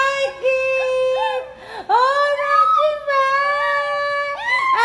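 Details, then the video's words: Miniature Pinscher howling along as its owner sings the song Broken Vow indoors, a drawn-out tonal howl with many harmonics that holds steady, breaks off, then swoops upward and wavers again in long sustained notes. "MINI PINSCHER SINGING BROKEN VOW"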